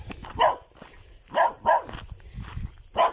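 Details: A little black Cocker Spaniel gives short, sharp barks, some single and one quick double, at irregular intervals while wagging its tail, heard during an August walk in Tuscany.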